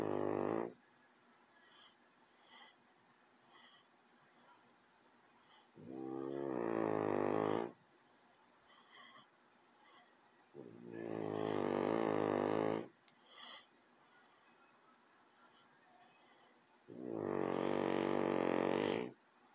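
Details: Loud snoring from a sleeping French bulldog near a cat indoors: four drawn-out, raspy, vibrating snores, each lasting one to two seconds, repeating about every five seconds with quiet pauses between.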